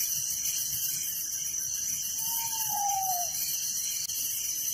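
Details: Crickets chirping at night in a village form a constant shrill wall of sound with rhythmic pulsed trills, while a single drawn-out, slightly falling whistle sounds faintly in the middle.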